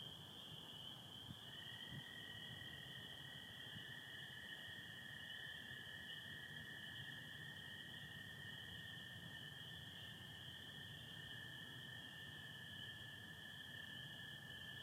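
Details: Night chorus of spring peepers alongside American toads in Michigan, 24 April 2025, partly overcast sky: a continuous shrill band of massed peeps and a lower sustained trill that strengthens after the first second or two, over soft low background noise.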